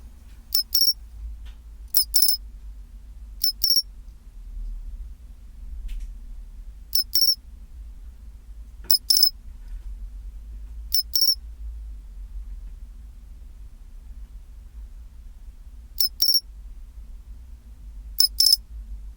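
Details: Pine cricket calling chinchirorin at 24°C, sparse metallic high chirps, clustered early with quick paired bursts, then a long quiet stretch of about five seconds before two final chirps; low hum throughout.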